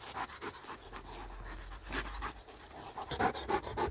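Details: A dog worked up while chasing a laser pointer pants rapidly, soft rasping breaths coming several times a second and growing louder toward the end.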